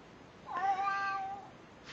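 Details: House cat greeting its owner with a single meow, about one second long, that swoops up sharply and then holds a level, slowly falling tone; quiet room, a faint voice at the end.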